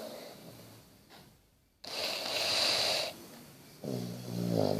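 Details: Bertie, a sleeping Basset Hound, snores indoors: a hissy, breathy rasp rising and falling, then a rougher snore with a low rattling buzz near the end, in a small quiet room.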